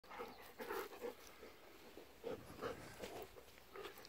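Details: Golden Retrievers Kohaku, aged nine, and Ibuki, aged eight, on a morning walk on 19 November 2018. Kohaku provokes Ibuki into running and romping on freshly tilled soft soil. Breathy rhythmic puffs come in short clusters, with faint rustling between them.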